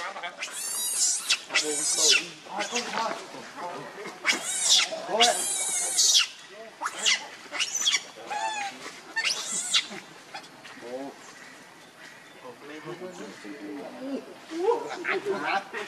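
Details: Very angry, hungry baby monkey wailing for its mother's milk. Bursts of piercing, wavering screams crowd the first ten seconds, then softer whimpers and rustling follow.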